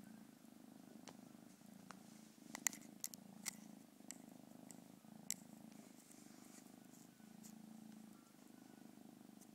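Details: Cat purring in a low, continuous rumble that pulses steadily throughout, broken by scattered clicks and handling taps.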